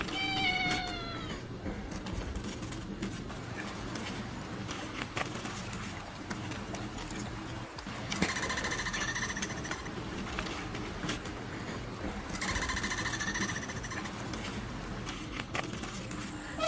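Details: Domestic cat meowing, with harmonic meows rising and falling near the start and further drawn-out cries around eight and twelve seconds, over a steady background hum and some speech.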